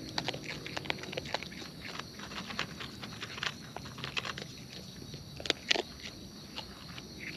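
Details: Wild raccoons eating close up, their chewing heard as dense broadband clicks and crunches, quick irregular bites throughout with a few louder snaps near the end, over a steady high hiss of insects.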